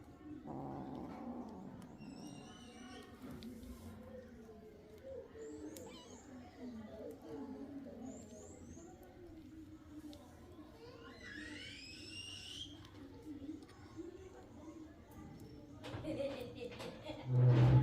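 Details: Kitten drinking milk, giving a few faint, high mews that rise and fall near the middle, over a steady low background murmur, with a louder burst of noise at the end.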